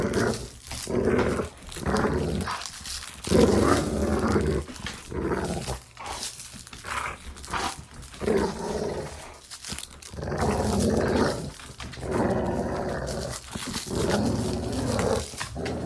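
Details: Playful dog growls recorded for desensitization training: continuous low, gravelly rumbling with rising and falling surges, occasional sharper snarls and huffs, and brief dips between growl bouts.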